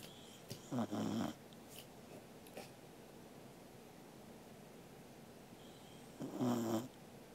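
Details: Sleeping corgi dog snoring indoors, recorded 13 August 2021: two short, low, rasping snores about five seconds apart, separated by quiet breathing and faint room noise.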